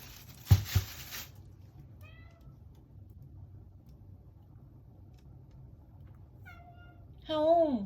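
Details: American Shorthair cat on its fourth day, giving a drawn-out 'haon' cry: a faint meow early, then two more near the end, the last loud, wavering and rising then falling. Brief thumps at the start and quiet room hum throughout.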